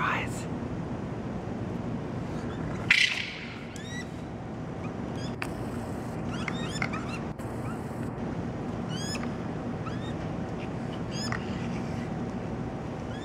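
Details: Raccoons in Toronto on May 12, babies crying while adults fight. Thin, high, arching cries repeat at intervals over a steady background hum. A sharp loud burst comes near three seconds.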